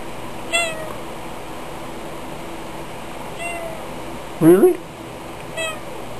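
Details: A chatty house cat named Tiger answers a person's questions with three short meows spread across several seconds, each a quick falling whine, while a human voice breaks in between them.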